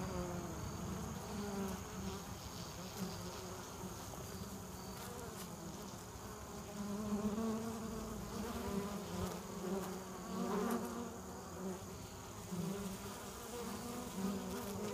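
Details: Many honeybees at the hive entrance in early evening, bringing in pollen and nectar before winter as the day's flights slow: a continuous layered buzz that swells and fades as individual bees pass close, with brief clicks.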